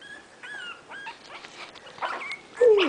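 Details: Itsy Bitsy's five puppies, 20 days old, wait for their mother to feed them; thin whistled squeaks rise and fall repeatedly, ending in a louder downward-sliding squeal.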